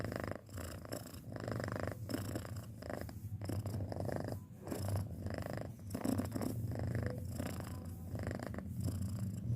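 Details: Loud, deep purring from a six-month-old pet cat, a heavy continuous rumble pulsing with each breath about every one to two seconds.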